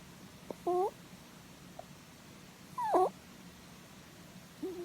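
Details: Sleeping pet rabbit having its head stroked indoors, letting out 'puu puu' noises: brief, clear, squeaky tonal calls, two louder ones about two seconds apart and a lower one at the end, followed by a person saying 'Oh'.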